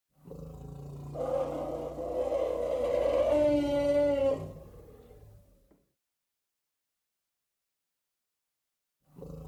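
An African elephant gives a loud, brassy call that swells and holds for several seconds before fading.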